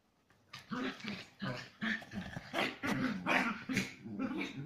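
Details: Chihuahua cross dogs playing aggressively indoors, giving a steady run of rasping growls and gruff yaps that pulse roughly every half second with no break.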